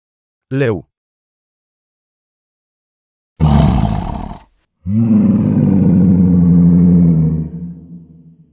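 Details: A lion gives deep, rumbling roars, the last one long and drawn out, after a brief spoken word.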